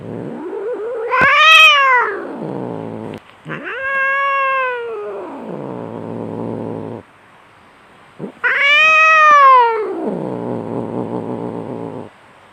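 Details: Domestic cat in a raging fight: three long, drawn-out wailing yowls, each climbing then sliding down in pitch over two to four seconds, a brief pause between the first two and a longer one before the last, with no other sounds.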